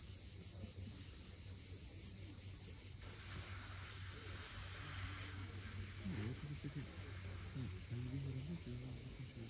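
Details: Crimean coast at sunset near Cape Fiolent: a dense chorus of cicadas holds one continuous shrill hiss throughout, while low wave wash swells below and a broader rush enters after three seconds.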